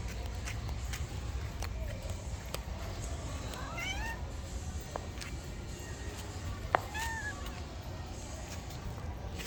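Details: Domestic cats meowing: two clear, drawn-out meows with rising-then-falling harmonic contours, near the fourth and seventh seconds, heard over a steady low rumble with scattered clicks.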